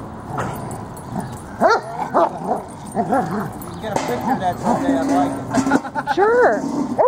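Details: Playing tug of war at Lakewood dog park, the dogs Freddie and Miley give short arched yelps and barks, some in quick pairs, over a murmur of people talking.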